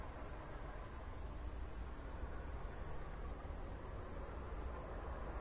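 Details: Post-thunderstorm night in Zwettl, Austria, with crickets producing an unbroken, high, finely pulsed trill, heard above a dull low-frequency rumble from the walk.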